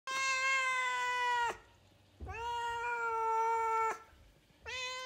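A Siamese kitten gives long, loud, nasal meows, each held steady before dropping away.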